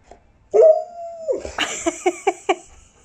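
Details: Dog answering its owner by imitating her and howling: a long, steady mid-pitched note, then a quick run of five short yelping howl notes about a fifth of a second apart.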